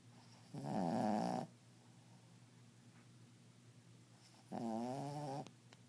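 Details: A dog snoring indoors, a snore louder than any human's: two drawn-out, buzzy, wavering snores about four seconds apart, with near silence between.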